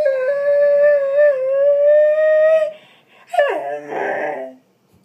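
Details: Female Doberman howling at her owner, mad because he was away at work all day; a long steady howl of almost three seconds, then a sharp falling yelp and a rougher whine.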